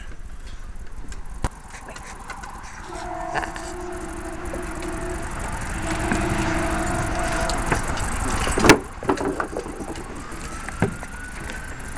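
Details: Rumbling traffic and passing vehicles fill the background while a long, steady horn-like tone sounds for several seconds. No animal voice stands out clearly from the mechanical noise.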